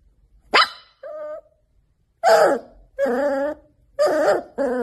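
A Labrador puppy gives high, yappy barks with a brief whine between them.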